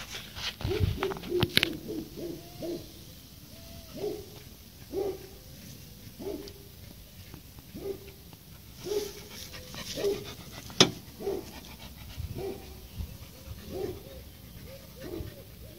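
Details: Seven-month-old pit bull whining: short, nasal, high whimpers repeated roughly every second, some quavering, over a steady background hiss and occasional clicks.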